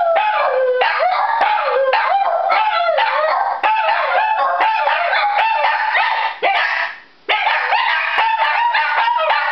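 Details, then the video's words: Two Shih Tzus howl together at a fire siren, long wavering cries rising and falling, with sharp yips breaking in. "Shih Tzus Howling at Sirens ..."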